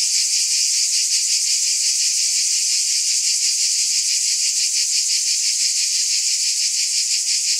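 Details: Cicadas producing a steady, unbroken high-pitched buzz with a faint shimmering pulse, holding constant loudness throughout with no other sounds present.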